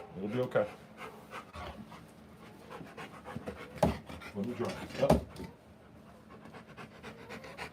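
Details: Rottweiler giving birth to puppies indoors, panting in quick breathy bursts of rough noise, with a person speaking over it at intervals.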